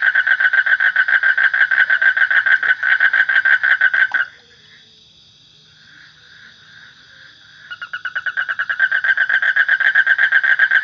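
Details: Frog giving a fast, rattling pulsed trill that stops abruptly after about four seconds, leaves a few seconds of soft background, then builds back to full strength. A constant thin high whine runs underneath.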